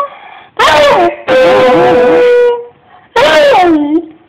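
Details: A male Beagle, prompted by his owner, howls in three loud bursts with brief quiet gaps: a short wavering cry, a long steady mid-pitched note held over a second, then a howl bending upward and sliding down.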